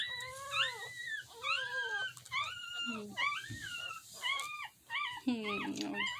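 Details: Mini Dachshund puppies in Lithia/Tampa, Florida, on April 2, 2021, whimper and squeal in high, wavering, overlapping cries, with a soft human voice briefly.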